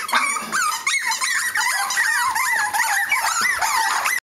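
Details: Cavalier King Charles Spaniel puppies giving continuous high squeaky whines and yelps, many overlapping rising and falling cries from several pups at once.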